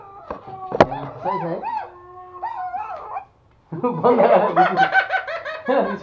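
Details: Pet toy Pomeranian indoors in Kathmandu, Nepal, howling along with music: wavering, arched howls and yelps with stacked overtones, broken by a short silence, then a denser run of rising and falling howls, with speech and laughter mixed in.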